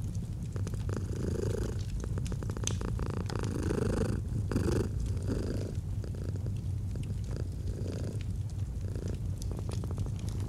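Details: Domestic cat purring gently next to a fireplace in cozy autumn ambience; low continuous rumble rising and falling with each breath, accompanied by frequent fire crackles.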